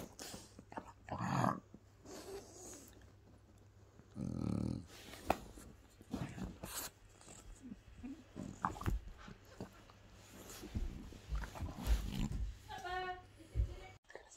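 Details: French Bulldog playing and mock-fighting with a person's hand indoors, giving low rough growls and snorting grumbles in bursts, loudest around four to five seconds, with rustling and handling noises between.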